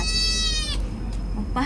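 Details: Boy, a noisy domestic cat, utters a single sustained meow lasting under a second, then quiet room noise and the start of another sound at the end.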